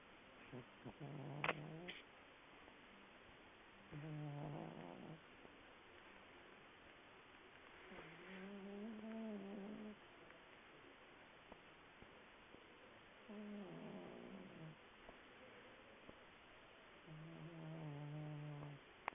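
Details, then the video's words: Pet cat deep asleep, snoring: low, harmonic, rasping snores, each about one to two seconds long, repeating roughly every four seconds in a quiet indoor setting. "Snoring Cat"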